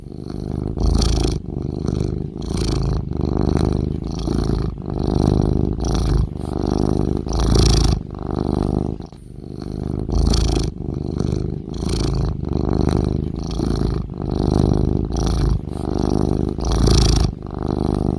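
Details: Cat snoring with deep, rumbling low breaths, each swelling and fading in a steady rhythm about every two to three seconds over eighteen seconds, with a faint hiss on some breaths and no other sounds.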